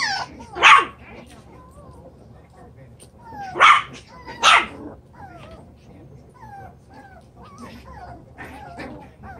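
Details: Chocolate brown Toy Poodle puppies at seven weeks, playing in their expanded pen: three loud, harsh little barks spaced a few seconds apart, with quieter high whimpers and squeaks between them.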